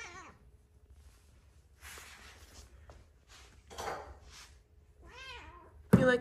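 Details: A three-legged female Siamese cat gives a rising-then-falling meow as she climbs her stairs, with a woman speaking softly nearby.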